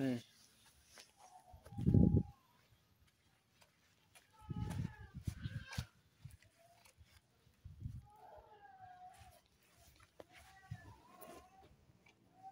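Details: Cat stuck on a rat glue trap being rescued by a courier, giving several short wavering meows amid human speech and handling noises, with low thumps of movement between calls.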